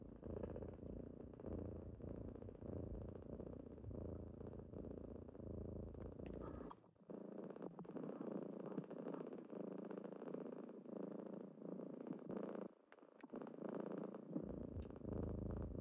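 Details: Morning purring from kittens waking someone up; a continuous low rumble runs for six seconds, then thins to a softer, higher purr with the deep part dropping away before returning strongly near the end.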